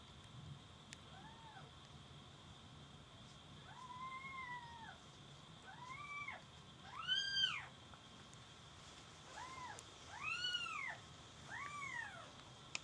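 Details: Kittens giving high, arched mews with rich harmonics, each rising then falling, about six calls spread over twelve seconds at uneven gaps, over a steady electrical hum and faint low background rumble.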